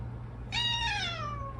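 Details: Domestic cat Odeuri meows indoors after tooth extraction surgery left her voice hoarse: one long, loud call that begins abruptly, holds briefly, then glides down over more than a second, with a low background hum.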